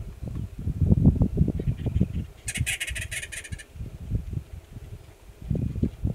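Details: A yearling male Gunnison's prairie dog gives a rapid burst of sharp, high alarm chirps over wind rumble, in grassland at Valles Caldera National Preserve, New Mexico, April 2017.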